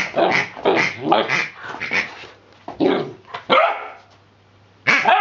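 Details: Hubby, a 10-week-old Rhodesian Ridgeback puppy, plays with a new rubber pig toy and gives a rapid run of short, sharp, high barks over two and a half seconds, then a few more spaced yaps after brief pauses, over a faint steady low hum.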